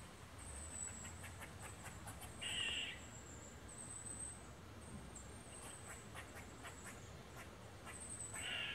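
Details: An eastern gray squirrel, having seen people walking down a woodland trail, gives harsh, short quacking barks as an alert call, with high insect buzzing behind.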